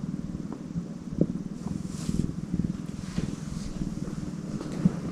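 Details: Low, continuous purring from a tortoiseshell cat, a rapid, regular pulsing rumble that holds steady from start to end over soft background noise.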